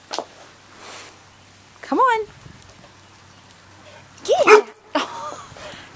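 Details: Chocolate Labrador named Roxy, frightened by roofing materials in the driveway; two separate high, curved whimpers a couple of seconds apart, with a person urging her on between them.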